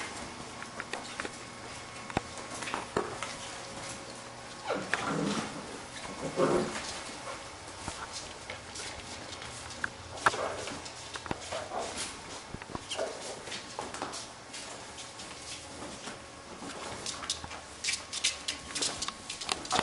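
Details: Labrador retriever puppies from a B litter at play: short whimpering and yelping cries cluster near the middle, set against constant scrabbling, clicking and rustling from small paws and bodies moving about.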